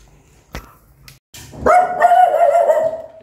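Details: Angry mother dog with her newborn puppies: a few faint clicks and taps, then from about 1.6 seconds a loud, sustained whining howl holding a steady tone with slight wavers for nearly two seconds before fading.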